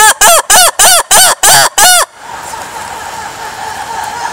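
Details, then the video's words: Lemur giving a rapid series of seven loud, arching, harsh barking calls about one every third of a second, then stopping, leaving faint background hiss. "Lemurs sounds"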